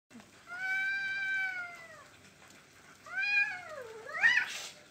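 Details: Cats facing off in a dominance fight, staying put with people an arm's length away: two drawn-out harmonic yowls, the first long and level then falling, the second rising and dipping, with a brief rough squall at the end.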